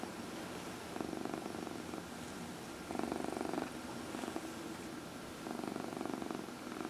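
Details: Adopted 14-year-old cat Dinah purrs during her nightly early-evening lap massage, April 16, 2020; soft rhythmic rumbling in three or four swelling stretches with quiet gaps between them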